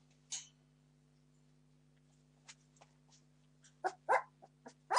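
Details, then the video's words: Entlebucher Mountain Dog puppies, 17 days old, from a litter born 26 September 2015, demanding food: brief squeals and whimpers, isolated at first, then bunching into a quick cluster of yelps near the end over a low steady hum. "Entlebucher Mountain Dog Puppies 17 days old - demanding food"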